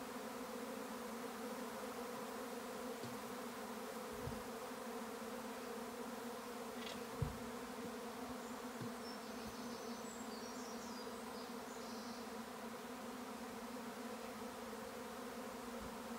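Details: May swarm of honey bees on a regenerative farm in County Kilkenny, Ireland: a constant deep droning hum, with occasional soft thumps and faint high bird notes above the buzz.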